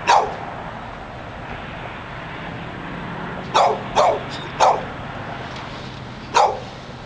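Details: Dog in Pleasant Hill, California, barking without letup in front of Barnes and Noble: a single bark, a quiet stretch, then a quick burst of three barks and one more, with distant traffic beneath.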